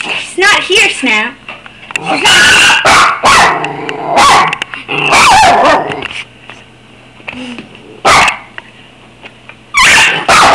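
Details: Two Schnauzers give wavering, high yips and whining 'talking' calls as a greeting to their owner while she is away, mixed with a woman's voice.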